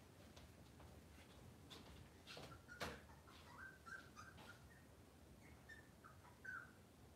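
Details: Cavalier King Charles Spaniel puppies on a kitchen cam on a cloudy morning, giving thin, high, wavering squeaks and whines in short repeated notes, with a few clicks and knocks from the room and soft background hum.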